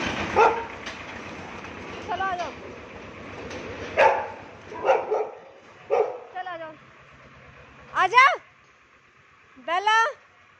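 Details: A Shih Tzu playing with a street dog gives sharp barks and high, sliding yelps, irregularly spaced, while a woman speaks over them.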